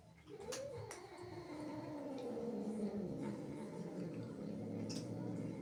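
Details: Indoors, a jealous, angry female cat defending her home from intruding kittens holds a long, steady, low moaning growl with a slowly wavering pitch that runs through almost the whole stretch. A few sharp clicks sound over it.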